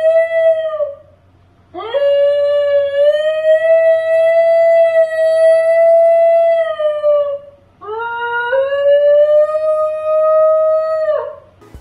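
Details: Melodious howl of a New Guinea Singing Dog, made by curling the tongue back and vibrating it like a reed instrument; a short opening note, then two long sustained tones that rise at onset and bend down at the close, with faint low hum beneath.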